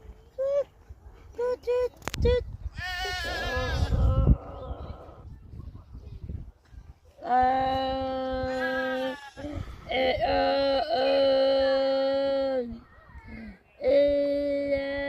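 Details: Content farm goats romping in their pasture bleat repeatedly: short quavering calls at first, then long, rich, buzzy bleats held for a few seconds each, with brief voices and rustling between them.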